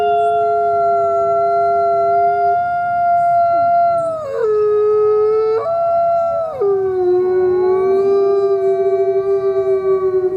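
Coyotes howling together in long, steady, wavering notes that drop and rise in pitch.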